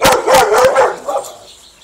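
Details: A dog chasing Bob the squirrel lets out a rapid, loud burst of several throaty barks in under a second, trailing off into a softer final yap.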